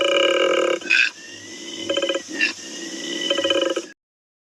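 A koala bellows: a loud, rasping, belch-like groan alternating with rapid pulsed snoring breaths, in bursts about a second apart.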